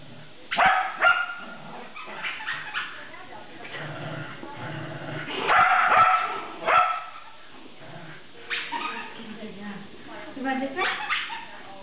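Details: Shetland Sheepdog playing tug, scattered barks in short bunches mixed with human speech and background rumble, quieter stretches between the bursts.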